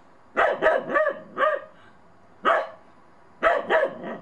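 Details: Unsure of a small snowman, the Bedlington Terrier puppy Monty barks in the snow on his first time out: a cluster of four barks, one lone bark, then a closing group of three.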